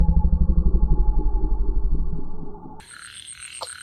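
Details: Frog said to be chasing a snake: deep, rapid pulsed croaking repeated about four times per second for over two seconds, fading before an abrupt cut to quieter, higher-pitched background noise.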